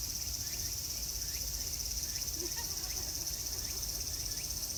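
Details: Cicadas at Meiji Jingu in summer: a steady, high, shimmering buzz drones without a break throughout, while faint short chirps flicker in the background over a low rumble.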